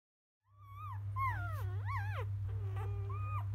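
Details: Newborn field-type Labrador Retriever puppies, in the morning after toileting and nursing, make thin, high whining squeals that rise and fall in wavering arcs, several in quick succession, over a steady low hum.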